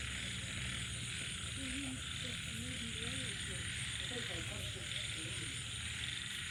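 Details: Night chorus of frogs after rainfall: soft, wavering mid-pitched croaks and quick trilled notes come in clusters under a continuous shrill high-pitched drone and low background hum.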